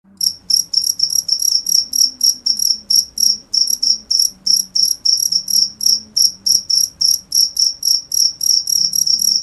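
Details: Cricket chirping steadily, a high pure tone with a faint upper overtone pulsed in rapid bursts about three to four per second, with a quiet low hum underneath.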